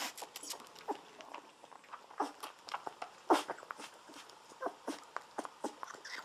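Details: Golden Retriever puppies, seventeen days old, lying on their backs while drinking milk from a baby bottle indoors; quick wet smacking and sucking clicks, broken by a brief squeaky whimper.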